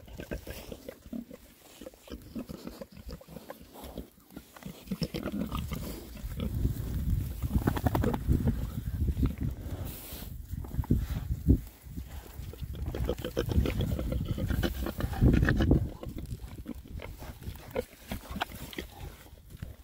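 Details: Six happy Oxford Sandy and Black boars, a rare breed, forage in winter between storms, giving a steady run of low, rapid grunts and oinks, several overlapping at once, over rustling and chewing sounds.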